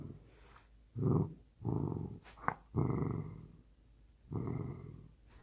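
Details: Dozing dachshund, sleepy after being asked to play ball, gives four low rumbling growls of about a second each, separated by short quiet gaps, indoors in a small room.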